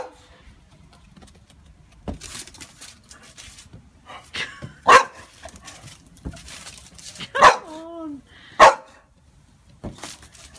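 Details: Pixie, a pet Boxer dog frightened by a balloon, gives three loud, sharp barks spaced a couple of seconds apart, one trailing into a short whine, amid long quiet gaps with soft rustling and a person talking.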